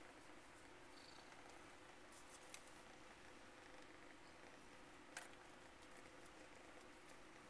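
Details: Pikachu, a long-haired grey female Domestic Longhair kitten, once feral and now socialized and up for shelter adoption, purrs while being petted: a soft, steady, low rumble running unbroken throughout, with two faint clicks.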